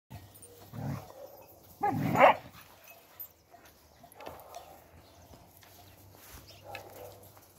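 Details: Spanish mastiff on a farm, recorded 6 January 2021, giving two deep, gruff barks roughly a second apart, the second louder and broader, followed by fainter low sounds against a quiet background.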